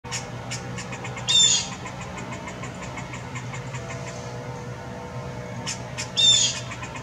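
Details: Anxious squirrel calling, two short harsh bursts with a thin tonal edge, spaced about five seconds apart, over a steady low hum and faint rapid ticking.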